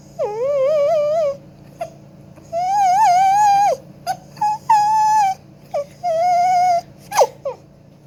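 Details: Domestic dog singing in an operatic style, with long, wavering, musical howls that slide up and down, broken by short yips and sharp breaths, over a faint constant low hum.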